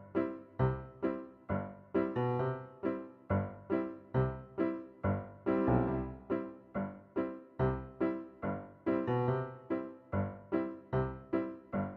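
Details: Bouncy piano music plays throughout in a steady rhythm of short repeated chords, with no animal voice heard.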